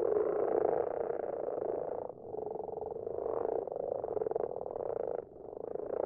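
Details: Common frogs (brown frogs) call in a garden pond at night in a soft, continuous purring chorus of low croaks; their numbers grow each year, and the sound is real but not synchronised with the picture.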